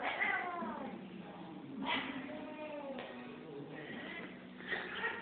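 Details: Angry female cat growling in a small indoor room: low drawn-out rumbling growls with harmonic wavering tones, rising into louder yowling bursts near two and five seconds, no other clear sounds.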